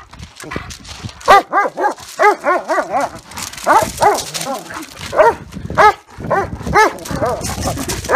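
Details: Dogs in a fight between a German Shepherd and a Great Dane: loud, harmonic barks in quick bursts of three to five, with gruff growling underneath and short pauses between volleys.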